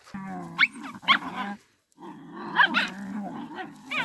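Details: A mother dog defends her puppy from attacking dogs in a village: a steady, droning growl broken by sharp, high yelping snaps, a short silence, then renewed growling with more yelps.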